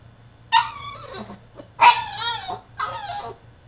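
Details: French Bulldog throwing a tantrum in his cage: three drawn-out, wavering harmonic whines in quick succession, each bending up and down, with short gaps between them and a low steady hum underneath.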